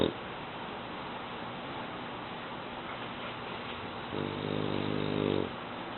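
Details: Sleeping eight-month-old male French Bulldog named Mu, indoors; after several seconds of quiet background hiss, a single rasping, harmonic snore rises and holds for over a second near the end.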